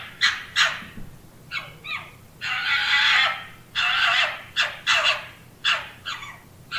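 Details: Urban red fox calling: short raspy barks in pairs, then a drawn-out harsh screaming cry lasting nearly a second, followed by more hoarse yaps, with a faint low background hum.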